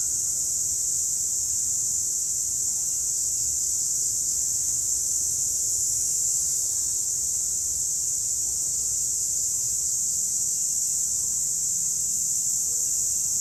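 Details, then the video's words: A group of cicadas by day keeps up a steady, high, hissing drone that never pauses or changes pitch. "Cicadas Sound Effect - Nature Sounds"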